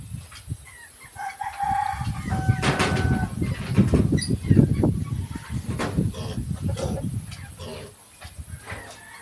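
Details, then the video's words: Mini pigs give low, rough grunts in a dense, irregular run of snorting pulses, loudest in the middle, with scattered higher squeaks and rustling. "Pig Sounds"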